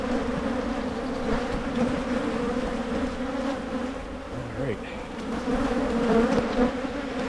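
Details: Honey bees buzzing around Michigan hives being split against swarming; continuous droning hum with a low and higher tone, a brief low voice-like sound midway and light knocks.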